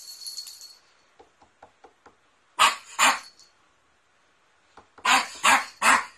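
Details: Poodle barking in a compilation of barking poodles: short loud broadband barks in pairs, two at first, then a cluster of three near the end, with faint ticks and a brief high hiss before the first barks.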